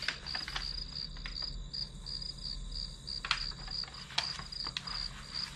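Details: Grass insects chirping steadily as study background noise: fast, high, evenly spaced pulses continue throughout, while several loud clicks and knocks, like desk sounds, punctuate the second half.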